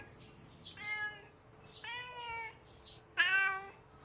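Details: Hungry kitten calling: three fairly quiet, slightly rising then falling meows, the last the loudest, in a quiet indoor setting.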